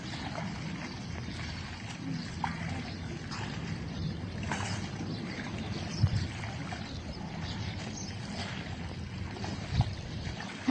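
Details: Steady low rumble like a motor or moving water, with soft gurgling and splashing throughout and no animal voice.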